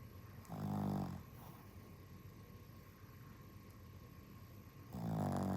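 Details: Worn-out dog snoring from tiredness: two deep, rumbling, drawn-out snores, each under a second, about four seconds apart, with a faint steady background hum between them.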